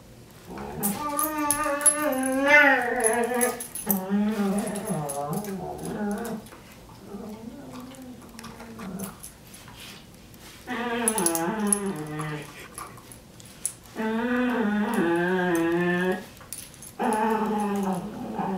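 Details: A brown pet dog making unusually funny vocal noises: drawn-out, wavering, whine-like howls in about five bouts of one to three seconds each, the pitch trembling up and down, separated by short quiet gaps.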